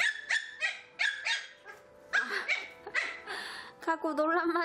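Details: Three young Pomeranian puppies, seeing a bell-filled toy ball for the first time, give a run of rapid high yips and barks, some overlapping, ending in a rising whine-like squeal.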